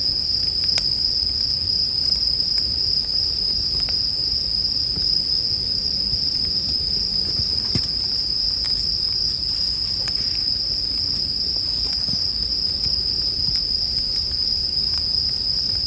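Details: An unbroken high-pitched ringing from bell crickets fills the whole stretch, while scattered snaps of a crackling campfire and low, murmuring background noise sit beneath it.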